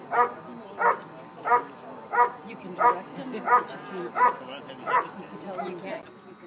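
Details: Dog doing a bark and hold during a Schutzhund (IPO) trial at the 2013 Schutzhund USA Nationals: steady, forceful barks repeated about every two-thirds of a second, with murmuring people in the background.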